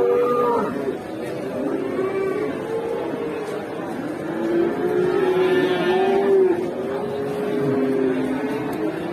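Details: Cattle at a busy Indonesian livestock market, where a cow ran amok and knocked a man down; drawn-out, wavering moos sound under constant crowd chatter and engine noise.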